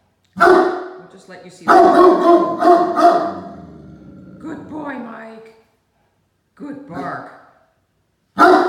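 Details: Barking from Great Danes at play with toys, young male Mikey now taller than sister Ellie; a rapid run of rough, resonant barks, then drawn-out grumbling, a short gap, and a final sharp bark.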